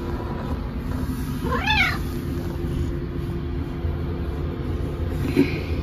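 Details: Pet cat Maple meowing indoors while its owner is in the rest room, a single rising-then-falling harmonic meow lasting about half a second, over a steady low hum of background noise.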